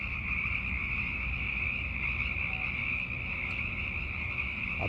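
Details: Sierran chorus frogs, hundreds of them, calling for mates after dark in late winter and early spring; overlapping shrill calls form a constant high buzzing wall of sound over a low rumble.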